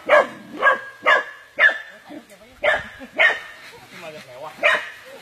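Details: Barking dog caught in an anaconda attack: a run of about seven sharp, rough barks spaced around half a second apart, one short pause midway, with shouting people in the background.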